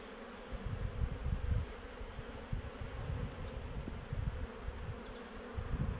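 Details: Honey bees from a beekeeper's own hives on 8 May 2023, about 14 degrees, flying around the hive before starting work; a low, droning buzz that swells and fades in uneven pulses over steady background hiss.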